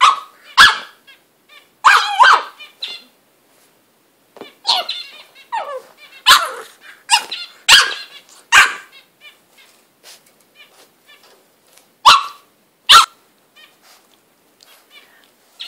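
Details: Butters the English bulldog bullying his own bed at home: sharp barks and gruff yaps come in irregular clusters, with snorting, huffing and a person talking between the loudest outbursts.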